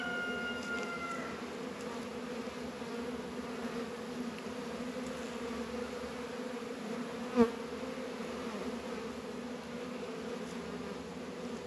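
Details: Colony of honey bees active at the beehive on an unusually warm winter day in northern Kentucky, 72 degrees in February; an even, continuous low buzz, faint high tones at the opening and one sharp click midway.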